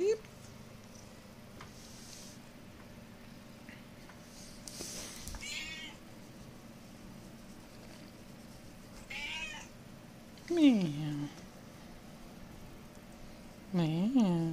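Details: Pet cat called Peeps, indoors while wrestling with a fox tail, gives a few short meows, one falling in pitch and another wavering up and down, with a person's voice calling to her and quiet rustling between.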